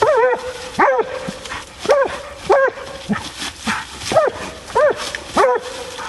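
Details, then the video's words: Female bluetick hound out coon hunting: short, arched, ringing barks come in quick bursts, roughly every half second to second, over a long steady drawn-out tone, with a rustling outdoor background. "Coon Hunting With A Bluetick Hound"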